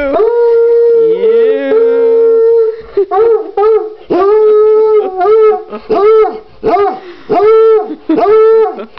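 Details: Indoors, a coonhound howls along to Happy Birthday for his brother's third birthday: an opening long level howl, then a run of short arched howls repeated about every second, with faint human voices.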